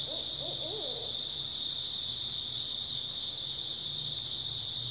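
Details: Early autumn night ambience of grass insects: an unbroken, bright high-pitched trilling chorus fills the whole stretch, with a brief burst of low, wavering hoots only in the opening second, then just the insects.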